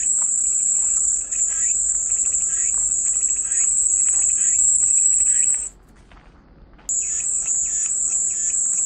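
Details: Shrill, steady cicada drone meant as relaxing white noise. It is interrupted by a sudden drop to near silence for just over a second before the high buzzing returns. Soft chirps pulse beneath.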